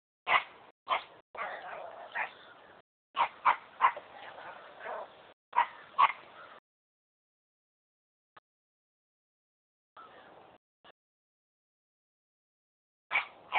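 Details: A dog barking for the first time: short, sharp yipping barks in quick clusters over the first six seconds, then a quiet pause with faint sounds and one more bark near the end.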